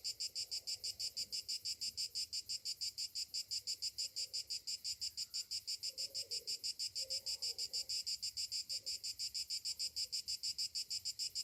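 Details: Cicadas on a summer morning give a continuous shrill, throbbing drone, pulsing regularly about three times each second, while faint low sounds come and go underneath.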